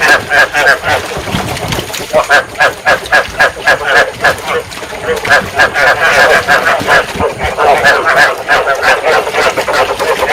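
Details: Field frogs calling in a dense chorus, used as a lure for trapping paddy frogs and to stimulate breeding. Rapid, overlapping croaking pulses repeat about three or four times a second with no break, forming a steady, busy wall of sound.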